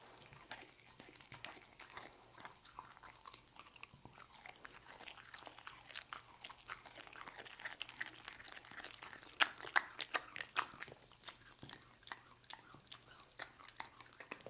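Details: Dog named Lucy eating roast beef indoors; rapid crunching and biting, close to three bites per second, irregular and growing louder toward the later part, with a few sharp peaks.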